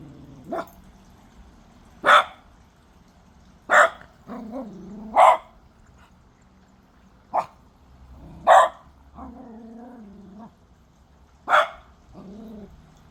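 A Cocker Spaniel puppy gives sharp, high yaps every second or two, with low growly grumbles between.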